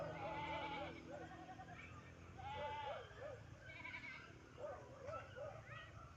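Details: Several tethered farm goats being led into their pen on an overcast, drizzly afternoon; quavering, wavering bleats come in bursts roughly every second or two, with low rumbling background noise.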